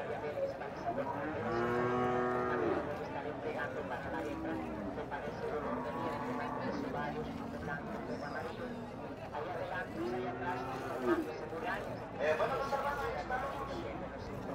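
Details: Dairy cow at a livestock market in Nueva Guadalupe, El Salvador, lowing in long, deep, harmonic-rich moos that rise and fall, several spaced across the recording, with crowd chatter and voices in the background.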